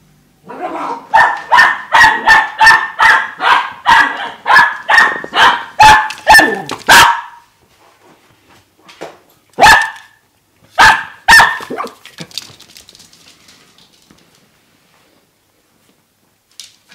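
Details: Kuanto, a four-and-a-half-month-old Dachshund puppy, dashes about excitedly, barking for nothing: a fast run of about a dozen sharp, evenly spaced yaps over seven seconds, a short silence, then three scattered barks before quiet.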